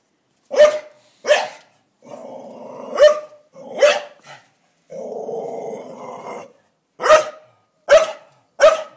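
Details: A Staffordshire Bull Terrier confronting a blue-tongued lizard, an uninvited guest: sharp barks at irregular intervals broken by two long, rumbling growls, with short quiet gaps between.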